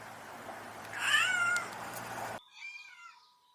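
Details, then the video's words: A single cat meow, bending down in pitch, heard over background hum; the sound then cuts abruptly to a fainter, separate meow with a cleaner tail. "Cute Cat sound | Relaxing | Video for kids | Loving cats | meow"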